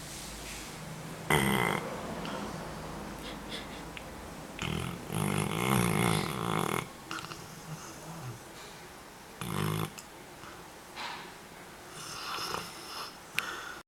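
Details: Napping Labrador Retriever, 3 March 2012, snoring in rough, rumbling bursts. One long drawn-out snore lasts about two seconds, with shorter snorts between, in a quiet room.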